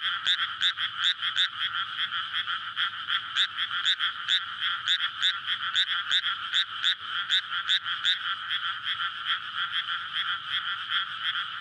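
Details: Frogs calling together after water fills a paddy field in May, a night recording of breeding courtship near a road: a thick, continuous wall of rapid croaking with sharp clicking pulses repeating in quick succession.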